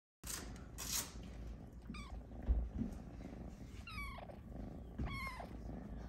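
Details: Luna, a Snow Lynx Bengal cat, lies in her hammock while being petted and gives three short rising-falling meows spread across a few seconds, with a low purr-like rumble and soft handling noise underneath.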